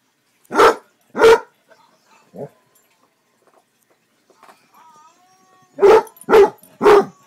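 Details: Male Basset Hound kept as a pet, barking: two loud barks, a softer one, a long pause with faint murmuring, then three quick barks in a row.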